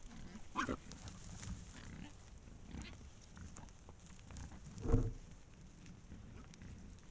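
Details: Wild boar pack recorded by a trail camera in Estonia: two short, low grunting bursts, one near the start and a louder one about five seconds in, over a steady low rumble of background noise and rustling.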